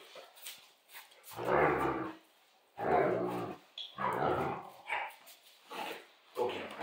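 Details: Central Asian Shepherd dogs playing at an off-grid cabin: rough, deep growling roars in bursts lasting up to about a second, coming in uneven runs with short gaps, plus brief sharper yelps and faint human voices.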